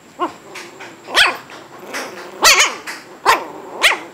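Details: Almost eight-week-old Shih Tzu puppies yip in short, uneven bursts: a faint squeak, then four louder arched yelps, two close together near the middle, over a quiet indoor background.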